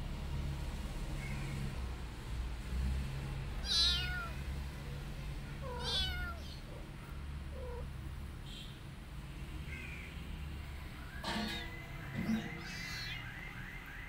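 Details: Rescued mother cat caring for her kittens and an adopted kitten; several short, high kitten-like meows rise and fall, scattered across the recording, with one longer harmonic meow near the end over a steady low hum.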